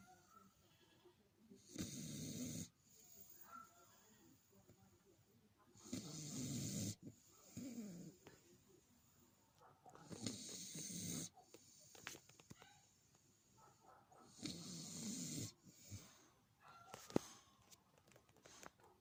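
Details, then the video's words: Snoring pet dog: five rough, wheezy snores come about every four seconds, each a low rattle topped with hissing breath, with faint clicks between them. "храпит как собака"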